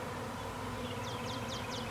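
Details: Swarming honey bees that have left their hive, recorded in Nashville, Tennessee, in April 2020: a continuous low, even buzz throughout, with a bird's quick, high chirps in the second half.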